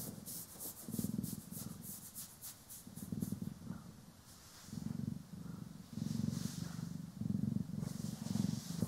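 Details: Relaxed domestic cat, Poki or Kiwi, purring under brushing and grooming, stereo recording; rapid brush strokes rasp at the start, then a deep, even purr rumbles on in breathing swells.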